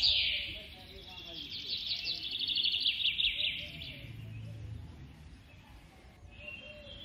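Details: Captive baby squirrel squeals while being fed: a loud high burst opens, followed by a rapidly pulsed buzzy chatter that slowly fades, then a brief quieter squeak near the end.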